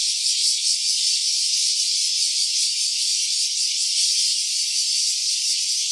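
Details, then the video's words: Stereo phone recording (OPPO Reno A) of a cicada: a dense, sizzling metallic buzz held at constant loudness for six seconds, with a faint quivering pulse running through it. "Cicada's voice"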